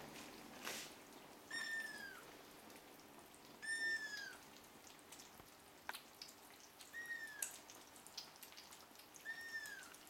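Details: Hungry seven-week-old Ragdoll kittens waiting for breakfast indoors; four brief, high, downward-curving meows spaced about two seconds apart, with faint clicks and tapping between them.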